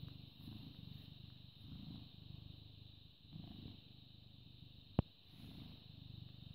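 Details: Deep rhythmic purring of a British Shorthair cat born 18 August 2010, filmed 14 May 2017 at 09:16, swelling with each breath about once a second, with one sharp click near the end.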